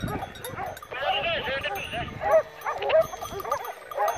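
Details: Segugio Maremmano hounds on a wild boar drive hunt in November 2017 near Poggio San Lorenzo, Rieti, Italy: several hounds bay and yelp in a rapid, overlapping chorus of rising and falling cries.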